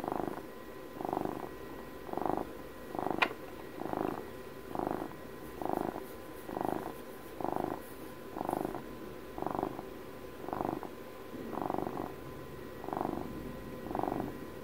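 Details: Domestic cat purring, shared for house cat Puppy's 12th birthday; close, rhythmic purr swelling and fading about once a second across the whole stretch, one sharp click near the middle, a faint steady hum underneath.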